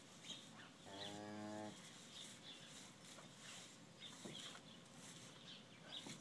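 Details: Mother cow February gives a soft, steady moo lasting under a second to her first calf, a strong five-hour-old bull learning to nurse; faint birdsong continues in the background.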